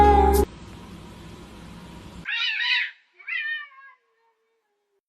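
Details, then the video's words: Kitten meowing: two short, high, wavering meows in quick succession, the second softer and slightly falling, following a brief loud burst of sound and a low steady hum, then silence. "kitten meowing cute"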